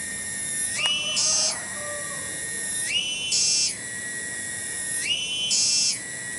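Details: Cicada (tonggeret) in a garden at Kampung Bunder, Cibening, Bungursari; small but very loud. Loud, shrill, ringing drone with rich overtones that steps up sharply in pitch about every two seconds, holds briefly, then drops back.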